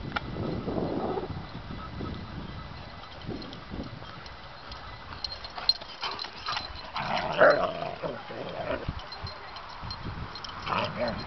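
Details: Two young Irish Wolfhound pups under a year old playing rough outdoors in a neighborhood common area, giving fierce-sounding growls, snarls and short yips in irregular bursts that sound like fighting but are play.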